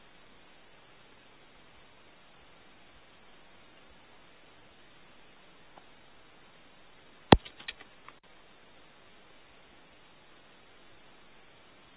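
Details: Steady low hiss throughout, broken only by one sharp click and a few soft taps a little past the seven-second mark.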